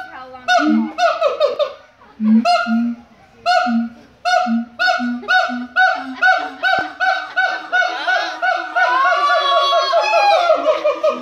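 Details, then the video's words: A siamang at the Los Angeles Zoo sings loud, honking barks that repeat in quick bursts and swell into a rising, excited chorus; its song can last from 5 to 20 minutes. "Siamang singing at the Los Angeles Zoo"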